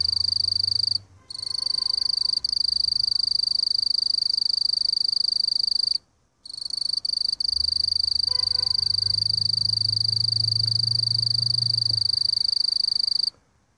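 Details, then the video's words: A mottled bush cricket (Eurepa marginipennis) calling, a steady, high-pitched buzzing trill broken by a couple of brief pauses. "Mottled Bush Cricket (Eurepa marginipennis) Calling 2"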